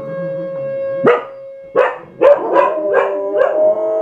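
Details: Two pet dogs howling together: short rising wails break in about once a second and then stretch into overlapping wavering tones, over a steady sustained background tone.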